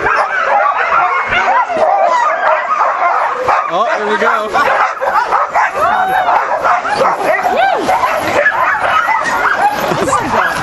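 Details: Eager huskies at Caribou Crossing in the Yukon, 15 May 2013: many dogs yip, whine and cry at once in a dense, unbroken chorus of rising and falling yelps that fills the whole stretch.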